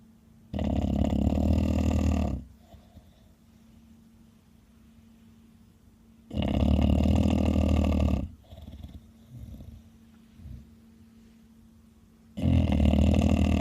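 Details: Loud snoring from Kuu-chan, an elderly 13-year-old female Bulldog: three deep, raspy two-second snores spaced about six seconds apart, with softer snuffling breaths between them and a constant low background hum.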